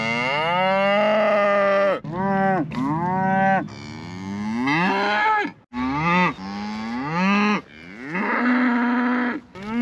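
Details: Loud, tonal lowing from Scottish Highland cattle upset that a calf is out; a run of back-to-back moos, some long and steady, others short and arched, with pitch climbing at the end of several.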